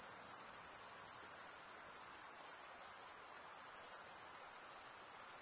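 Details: Steady, shrill cricket chirping made by rubbing the wings together forms an unbroken high-pitched buzz-like trill from start to finish.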